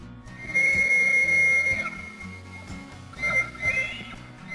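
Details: On a Colorado high-plains ranch raising elk and bison, a bull Rocky Mountain elk bugles its mating call, a high, pure whistle held steady, then repeated after a pause; the rut runs September–October.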